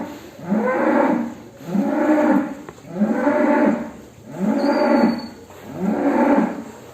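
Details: Agitated cattle leaving their pen, mooing five times in steady succession, each moo a low, drawn-out, harmonic bellow lasting about a second, spaced roughly every 1.3 seconds.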